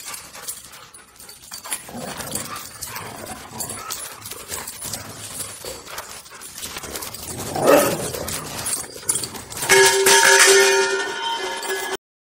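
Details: A Siberian Husky gives brief grumbling and whining vocalizations amid scuffling noise while wrestling.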